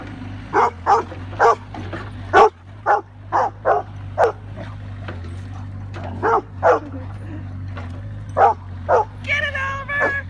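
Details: Old English Sheepdog barking while jousting with a Bobcat excavator; about a dozen sharp, loud barks come in quick bursts over a constant low engine hum, ending with a higher whining, tonal yelp.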